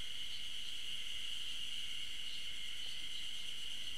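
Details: Ezo spring cicadas singing, 15 June 2012, on a trail of the Tokyo University of Agriculture Okhotsk campus, hidden from view: a bright sustained metallic hum with slight wavering pulses over four seconds.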